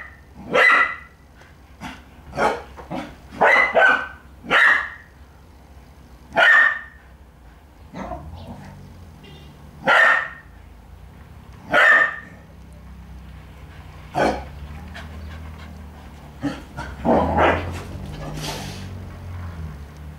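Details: Puppy wanting to play with a stalking kitty gives a steady series of short, bright barks about every second for twelve seconds, then quieter scuffles, rustling and a few softer yelps.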